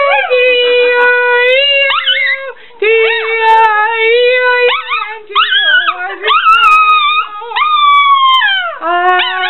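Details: Chihuahua producing a long, wavering, howl-like whine that stays drawn out and nasal, bending up and down in pitch with yelping breaks, almost continuous for over nine seconds.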